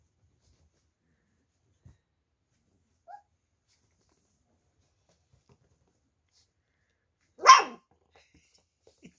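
A Beagle puppy gives a single sharp, high bark after a long stretch of near silence.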